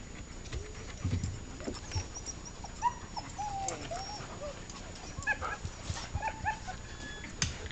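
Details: Siberian Huskies at an animal rehabilitation center in Quebec, Canada: several faint, short whining and yipping notes that rise and fall, scattered over a hissy background with occasional clicks and handling noises.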